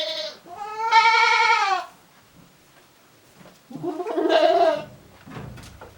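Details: Farm goats in their shed, chewing cud on a handmade Japanese goat farm, January 2023; two strong, rich bleats, the first wavering and rising then falling, the second nasal and rough, separated by a quiet pause.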